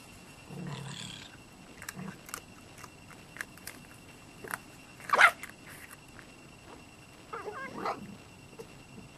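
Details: Red fox barking at night when it runs into a raccoon dog, chasing it away; both animals visit every night. One sharp, harmonic bark stands out midway among faint scattered rustles and knocks, over a steady thin high hum.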